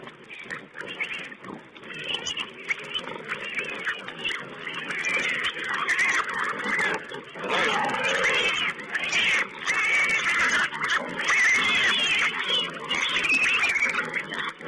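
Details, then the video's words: Wild pigs at a feeding site on a webcam, 20 April 2010, give a dense, continuous chorus of overlapping squeals and grunts. Many harsh, rising and falling cries crowd together with no pause, sounding thin and muffled as through a low-quality stream. "Wild Pig Cam2: feeding"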